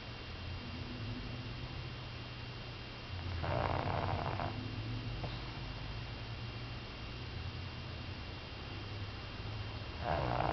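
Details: Rin, a one-year-three-month-old female Pug, snores while asleep: two rough, breathy snore bursts about six seconds apart over a steady low hum.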